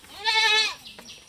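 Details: Black Bengal goat being fed husk and feed, giving one short wavering bleat lasting about half a second, rich in harmonics, followed by light handling noises.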